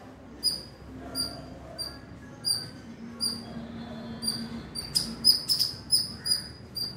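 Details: A squirrel gives thin, shrill chirps about once a second, then a quicker, louder burst. It is a loud warning meant to ward off predatory birds; the owner suspects it is protecting its young from crows and is puffing itself up, ready to fight.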